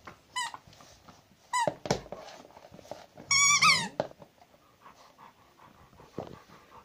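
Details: Zhenya, a domestic Rottweiler, gives short squealing whines, first two brief yelps, then a longer quavering whine dropping in pitch, amid light indoor rustling and faint background noise.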